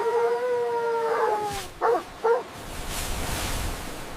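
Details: Playful puppies on green grass: a long, steady whining howl slowly sliding downward for over a second, followed by two short, quick barks, with soft rustling behind.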